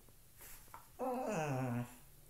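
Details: A dog playing with a shoe indoors makes one drawn-out, tonal grumble of nearly a second that slides downward in pitch, preceded by a couple of faint clicks and soft background hum.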